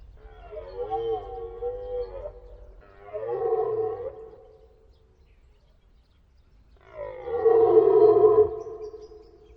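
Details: Deer stag roaring: three drawn-out, moaning harmonic bellows, each about two seconds long, separated by short silences. The last call is loudest.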